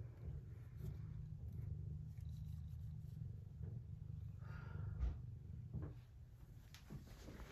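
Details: Purring from Desi, a cat, recorded October 19, a continuous deep pulsing hum with a few brief soft clicks and knocks over it.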